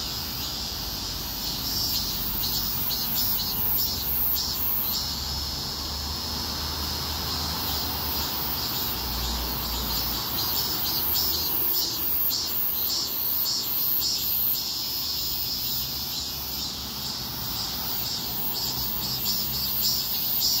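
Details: Many cicadas singing on a street in a heatwave, their shrill droning buzz continuous for twenty seconds with irregular surges and flickers, over a low rumble that swells briefly near the middle.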